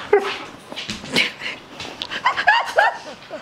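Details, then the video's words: Alaskan Malamute talking back when told to roll over: a run of about six whiny, yodel-like vocal bursts that rise and fall in pitch over three seconds, close and loud, with a person speaking afterwards. "Malamute Talks Back When Told to Roll Over"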